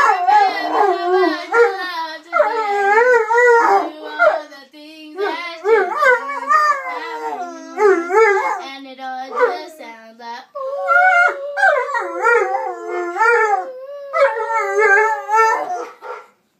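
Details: A mastiff howls in long, wavering, tuneful phrases, singing along with the Bruno Mars song "When I Was Your Man".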